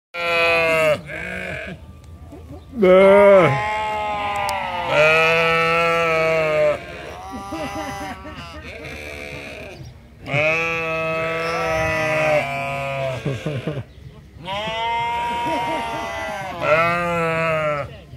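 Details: Several sheep at the Toronto Islands Centre Zoo calling back and forth: long, wavering harmonic bleats lasting one to four seconds, overlapping in a chorus with short gaps of quiet between bursts.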